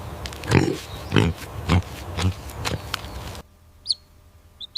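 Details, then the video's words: Pig on a farm, from a compilation of farm animal sounds: five low, rough grunts roughly every half second, then quiet with a few faint high chirps at the end. "Farm Animal Sounds: Horse, Cow, Elephant, Monkey, Goat, Dog, Chicken, Pig, Duck"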